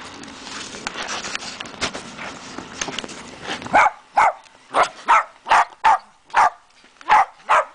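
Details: Dachshunds meeting a person dressed as a Dachshund Santa: a noisy, cluttered first half gives way to a run of sharp, loud barks, about nine in four seconds, coming at an uneven pace.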